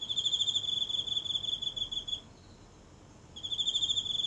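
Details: Shrill, rapidly pulsed trilling from a single insect hidden in the grass of a small home garden at night, captured at close range by phone; a two-second bout, a short silence, then the trill starts again.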